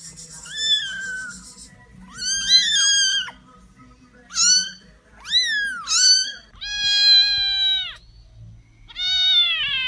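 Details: Kittens meowing loudly and close: bright, piercing mews in quick bursts, some bending up and down in pitch, one long level cry toward the end, then a final short call.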